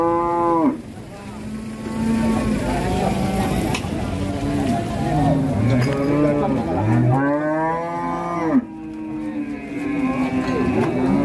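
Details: Furious female cow bellowing twice: a sharp, loud moo that drops off in under a second, then a long, quieter stretch, then another forceful, drawn-out bellow.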